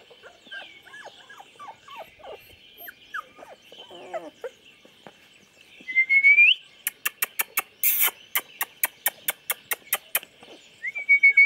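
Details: Chocolate Labrador puppies, 24 days old, recorded 8/11/2014: soft scattered squeaks, then one loud rising whine, followed by a run of regular sharp clicks, a brief broadband burst, and another short high whine at the end.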